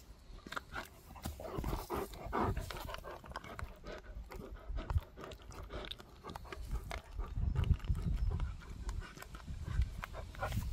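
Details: Gorlock The Destroyer, a pet dog, pants and grunts during eating and play: steady low breathy snuffles with rapid clicks and smacking sounds, growing heavier and louder toward the end.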